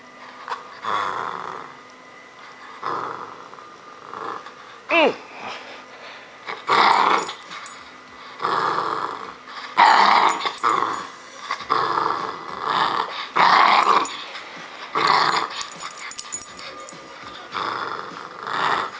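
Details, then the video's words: Roscoe, a 10.5-week-old bull terrier puppy, growling while playing tug of war indoors; repeated short rough growls in bursts about every second, with a brief sharp squeak near five seconds and faint speech. "Puppy Tug of War"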